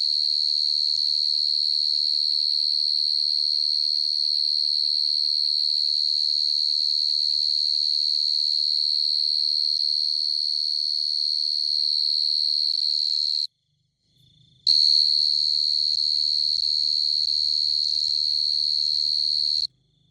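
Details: A field cricket (dế mèn) sings at night in the countryside, a shrill, even, high trill held almost without a break. After a brief pause the same bright ringing resumes over a faint low hum.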